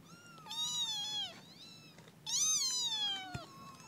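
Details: Kitten meowing, two loud drawn-out high meows, each about a second long, bending downward at the end, with a steady low hum behind.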